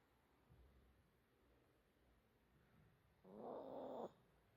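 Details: Small dog asleep and snoring, one rough, breathy snore near the end after a quiet stretch of soft breathing.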